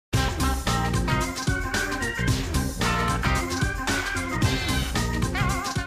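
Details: Organ-led music with keyboard chords and a steady beat fills the whole stretch, with no animal voices.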